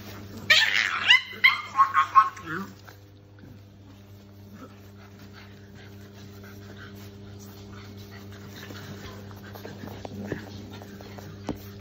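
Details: Shar Pei puppies play fighting: a quick burst of high, whiny yelps and squeals over the first two seconds, then quieter scuffling and faint whimpers over a steady low electrical hum.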